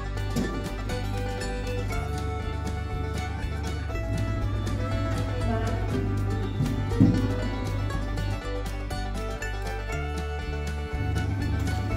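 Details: Steady bluegrass-style guitar music plays throughout with no animal sound.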